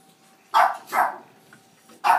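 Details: Rose, a Boston Terrier, wildly excited at the sight of a ball while playing soccer by rolling it: three loud, sharp barks spread over two seconds, the last after a pause, in a quiet indoor room.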